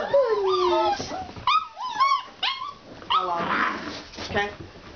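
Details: Several Alaskan Malamute puppies from a kennel, outdoors for the first time, making high arched whines and short yelping cries in quick bursts, with a human voice partly heard among them.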